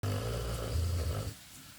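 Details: Dog snoring loudly indoors: a rough, low rumbling snore held for over a second, then fading into quiet breathing.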